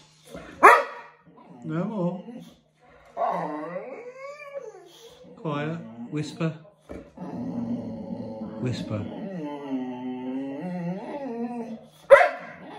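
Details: Bear, a Boxer dog being bathed, whimpers amid a person's talking: short whining yelps early, then a sustained wavering whine lasting several seconds near the end.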